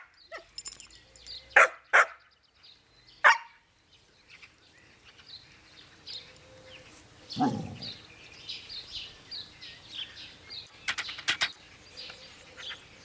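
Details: Ida, a young Jämthund, playfully barks at an older dog over the most important meat bone, a bid for rank in the pack order; scattered sharp barks and yips, a low growl midway, birds chirping throughout.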